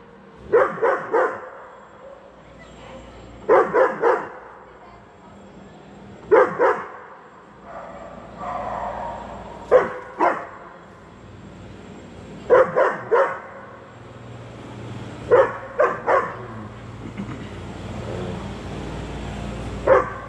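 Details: Max, an 8-month-old German Shepherd, keeps barking because he sees a cat and wants to play; clusters of two or three hoarse barks recur every three seconds or so, with faint background noise and a slight whine between bursts.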